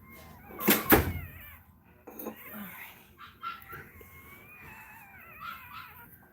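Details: While Cashmere is in labour, another Cane Corso cries: after a loud thump comes a long, thin, wavering whine that rises and falls over several seconds, with soft knocks around it.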